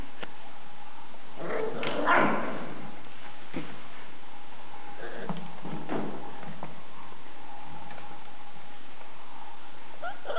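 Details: Six-week-old puppies give a burst of short, rough yelps and whimpers near the second mark, followed by scattered quieter squeaks and knocks over a steady low background hum.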